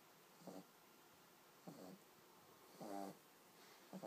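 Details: Little pug puppy snoring in its sleep, short wheezy buzzing breaths repeated four times, one slightly longer and louder, in a hushed indoor setting.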